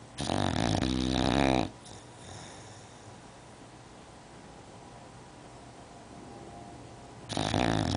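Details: An English bulldog sleeping on a couch snores loudly, harsh rattling breaths separated by a long quiet pause; her snoring is loud enough to hear from upstairs.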